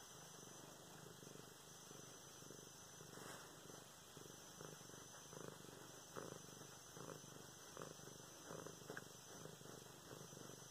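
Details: A domestic cat named Luna, petted indoors on November 24, 2016, gives a clear rhythmic purr: low pulsing rumbles repeating a little faster than once a second, steady across the whole stretch, with a faint rustle early on.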